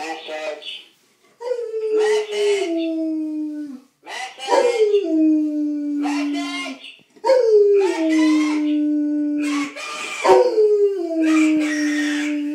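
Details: Kipper, a pet dog, howls along to a ringing phone indoors, each howl starting with a higher yelp then sliding down into a long steady tone, repeated about every three seconds across four howls.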